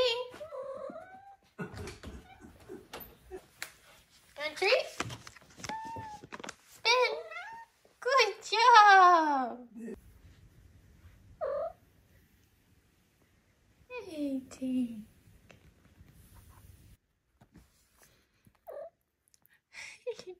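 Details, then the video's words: Five-month-old female Maine Coon kitten meowing and trilling while a person talks to it and offers food. The calls include a long, loud, wavering meow, followed by shorter chirps and bursts of human speech. "5 Month Old Maine Coon Kitten Makes Cute, Funny Sounds"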